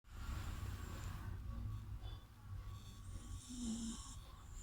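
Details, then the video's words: A sleeping dog snoring: a low, continuous rumbling breath, then a louder rasping, buzzy snore in the final second and a half. "snoring dog"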